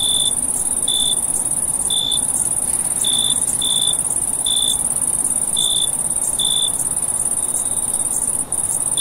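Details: A night chorus of summer crickets. A continuous piercing trill holds throughout, while a second cricket gives brief clear chirps at uneven gaps, sometimes in quick pairs. A soft background hiss is present.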